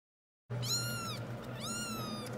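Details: Seven-week-old kittens just weaned from bottle feeding, crying over milk: two loud harmonic meows, each rising then falling, about a second apart, over a low steady hum.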